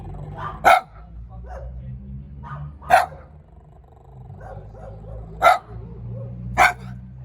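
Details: A small dog barks in four sharp, loud single barks spaced about two seconds apart, with a low steady hum and faint murmuring voices underneath.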